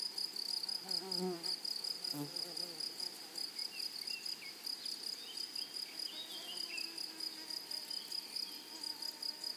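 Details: Meadow grasshoppers keep a high, fast-pulsed shrill rasp going while a low droning fly buzzes past early on and faint thin chirps flicker in the background.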